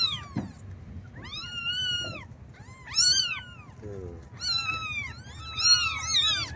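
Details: Kittens mewing for their mother and milk: bright, arched cries in overlapping groups, loudest around three and six seconds, with a short low thud early on and a quiet hum throughout.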